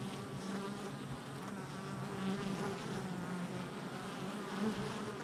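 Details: Crowd of honey bees busy at their hive entrance on July 22nd, 2024, giving a thick, constant buzz with several humming tones rising and falling as individual bees pass close.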